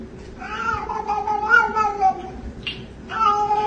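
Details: Domestic cat in a drawn-out, wavering meow that rises and falls for about two seconds, then a brief pause and the start of another long meow; faint indoor background.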